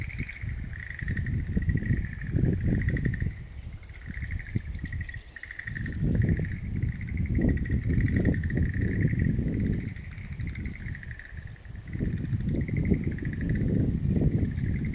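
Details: Chorus of frogs heard on 11 April 2013 in a garden of wild mountain plants, a continuous pulsed trill throughout, with brief high chirps from birds and strong low-pitched background rumble.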